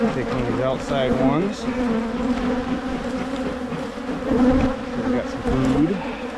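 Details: Colony hum from Michigan beehives during spring splitting meant to head off swarming; a dense, even buzz holds throughout while short curving, voice-like tones rise and fall over it at the start and near the end.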